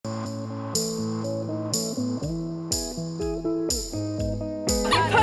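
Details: Plucked guitar chords with a bass line and sharp cymbal-like accents play in a bluesy rhythm throughout.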